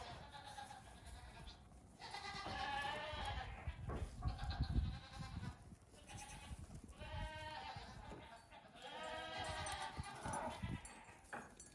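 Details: Young farm goats, the oldest nearing two weeks, bleat repeatedly during a short morning play session outside their stalls; quavering, nasal cries overlap around three, seven and nine to ten seconds amid low thuds and rustling.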